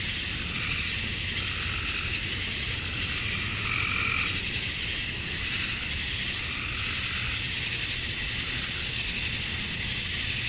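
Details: Cicadas at dusk on a Georgia, USA summer night, males chirping to draw females: a continuous high, sizzling buzz with slow swells in intensity and occasional softer tonal chirps around the middle.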